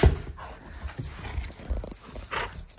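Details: Shiba Inu, a beloved family pet, growling as a show of affection toward its owners rather than anger: a low, rough rumble in uneven pulses, with faint rustling and household noise around it.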